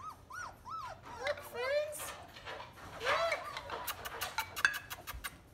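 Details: Three-week-old German Shepherd puppies from one litter whimper and howl: three quick rising-falling whines, then wavering cries, with a woman talking and light thuds indoors.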